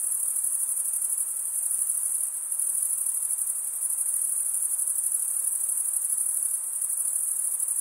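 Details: Chirping crickets, males producing sound by scraping a serrated wing vein. A continuous, thin, very high trill with fine rapid pulsing holds at an even level, with a slight dip near two seconds.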